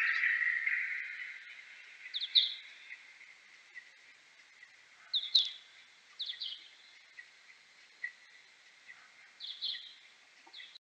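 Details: Kuhl's pipistrelle, slowed tenfold by time expansion: short sigmoid echolocation sweeps in pairs and triplets every few seconds over a steady hissing noise band, with faint social-call notes between them.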